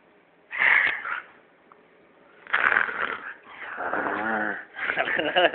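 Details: Tuscany, a 12-year-old female Siberian Husky kept as a pet, answers her owner with loud, drawn-out howling 'talking' in four bursts, the third a long wavering moan, indoors while a person coaxes and praises her.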